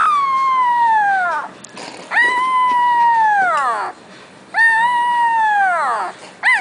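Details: Young Boxer puppy howling: three long, clear howls, each holding a steady tone before sliding downward at the end, separated by short pauses.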